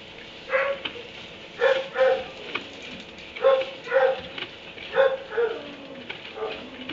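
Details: Kenneled dog in a barn at 3am, barking in loud, short, harsh single and paired barks about every second, with a low hiss between them.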